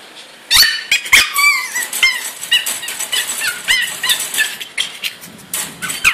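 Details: A three-month-old female pug, DouDou, confined to a cage indoors and wanting out, lets loose a stream of high whines, squeaky yelps and short barks, with a few knocks against the cage.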